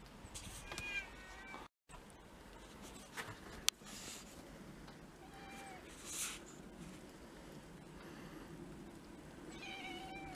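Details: Domestic cats from a household of six mixed-breed pets, on the day of the first snow, February 2023. Several short, tonal, harmonic meows, some rising, come near the start, midway and at the end, over indoor room noise and a sharp click.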